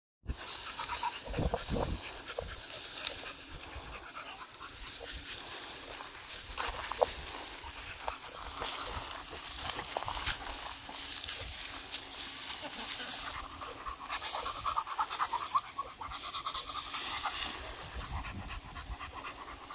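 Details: Male beagle on a morning walk outdoors, panting in quick, uneven breathy bursts of broadband hiss, with louder rustling and scuffing noises scattered throughout.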